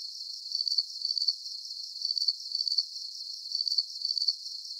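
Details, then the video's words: Chirping crickets in a soothing night soundscape: sharp, high trilled pulses grouped into short bursts, slightly uneven in spacing, over a faint steady hiss and no other creatures. "Calming Cricket Sounds"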